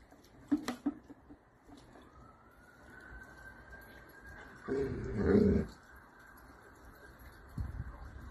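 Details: Miniature dachshund at play indoors: a thin, steady whining tone holds for several seconds, then a loud, low, rough growling burst lasts about a second, followed by a shorter grumble near the end; a few sharp clicks open the recording.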